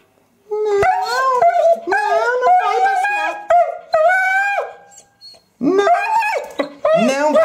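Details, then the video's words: Lili, a female Eurasier pet dog, screams and 'talks' because she wants to go out for a walk; long wavering howl-like yelps with rich harmonics, several drawn-out bursts rising and falling, a short gap, then sharper sliding cries. "Dog talking and screaming"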